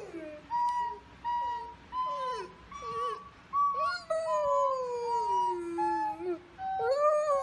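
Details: Male golden retriever howling to a recorder: steady held recorder notes alternate with the dog's bending howls, ending in a long falling howl that sinks gradually in pitch.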